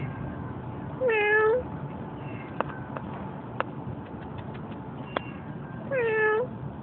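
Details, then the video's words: Two clear meows from a stray cat that is being spoken to, about five seconds apart, each wavering slightly in pitch; sharp faint clicks and a low hum fill the gap between them. "Talking To A Stray Cat!!!!"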